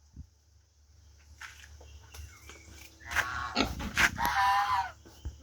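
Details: Farmed native pigs: quiet at first, then a burst of rough, noisy grunts and a shrill rising squeal over the last seconds, with a low background hum throughout.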